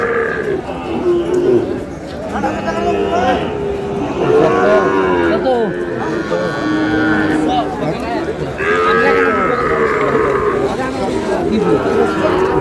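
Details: Sahiwal cattle, including a bull calf, at a busy Dhaka-area cattle market on 27 April: repeated bellowing moos with wavering, bending pitch follow one another over background talk and market bustle.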